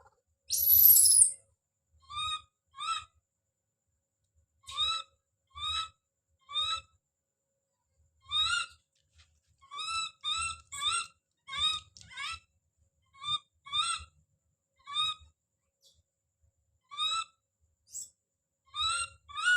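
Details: Infant monkey Don calls out with one sharp high scream at the start, then many short tonal cries, often in pairs or quick runs, with short silences between them. Faint low thumps are heard under some calls.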